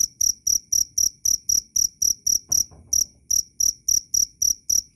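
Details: Wild cricket chirping loud and clear: steady high, pure chirps repeated about four times per second with a brief pause, little else in the background.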